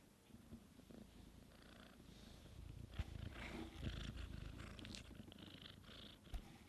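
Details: Kitten Sunshine dry-sucking on her aunt Divine, an adult cat with no kittens of her own, while her mother Dreamcatcher is away; a steady low rumbling purr runs throughout, with soft rustling and a few light knocks.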